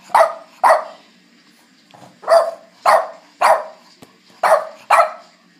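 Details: Dozer, a Boston Terrier, barks for his dinner in April 2013: sharp, short barks in pairs and runs of three, about one every half second, with brief pauses between the bursts.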